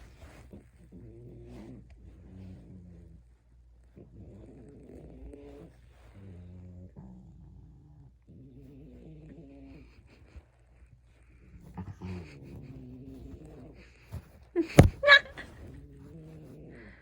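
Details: Puppy tickled while asleep gives a string of soft, low, moaning grumbles in short bursts every second or two, ending with a sharp click-like knock and a few more grumbles.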